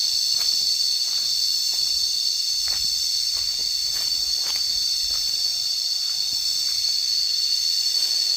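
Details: Cicadas heard while lying down outdoors: a steady, shrill, high-pitched drone with several bands held without a break, and faint scattered clicks beneath it.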